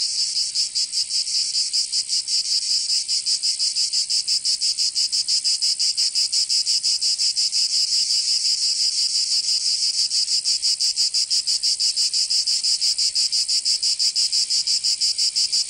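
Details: Summer cicada chorus from Provence in the south of France: a continuous shrill, rasping drone made of very fast, even pulses that run unbroken throughout, loud and high-pitched, with no birds or people audible.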